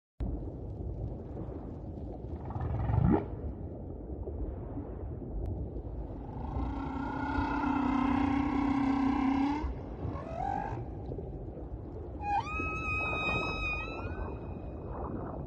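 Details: Humpback whale with her calf, song: a low moan, a long harmonic-rich drawn note, then bright rising whistled tones.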